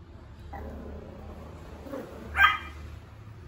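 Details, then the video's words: A male Pomeranian puppy that has just begun barking gives one short, high yip about two-thirds of the way through, after faint softer sounds and low room hum. "Pomeranian barking voice💕| puppy’s first bark."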